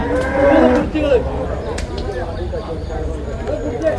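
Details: Water buffalo calves being sold at the Manjeri market in Malappuram, Kerala, India; a loud drawn-out moo with rising harmonics early on, then shorter lowing calls amid the chatter of traders and market noise.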